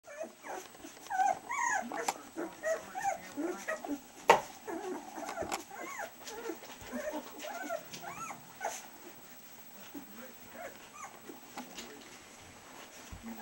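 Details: Litter of two-week-old collie puppies, eyes just open and starting to toddle, making many overlapping high squeaky whimpers and short arched yelps, several pups calling at once throughout, with scattered soft knocks and bumps.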